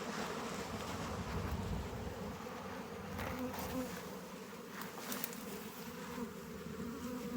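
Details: Honey bees at an open hive during a honey harvest, frames being lifted out; a dense, steady low hum with layered buzzing overtones fills the whole stretch, with light scraping from handling.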